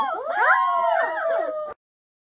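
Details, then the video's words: A puppy gives one brief howl that climbs steeply to a high whine, then levels off into a sustained wavering note before cutting off abruptly, followed by silence. "Puppy Howling"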